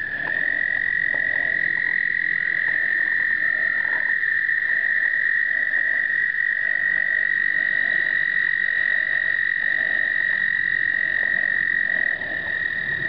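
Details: Explosive breeding of American toads in 2009, recorded on a Canon point-and-shoot: a dense wall of high, even trills rings continuously, with softer pulsed notes recurring roughly every second beneath it.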